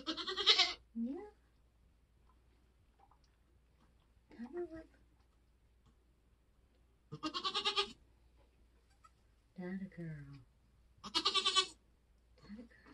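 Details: Nigerian Dwarf goat in labour on a homestead during kidding season. Three harsh, strained bleats, at the start, near seven seconds and near eleven seconds, alternate with soft human talk.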